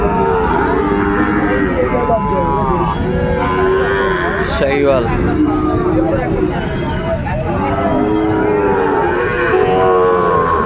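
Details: At Ambari market in Dinajpur, Bangladesh, Sahiwal bull calves of five or six months are being bought and sold on a Monday in February 2026. Short, rising and falling moos repeat amid lively bargaining voices and background hubbub.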